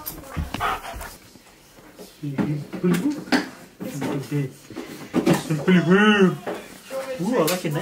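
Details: Impatient pet husky indoors demanding to leave: drawn-out, wavering woo-like vocalizations that rise and fall in arching pulses, building to a long bowed howl near the end, with human voices mixed in.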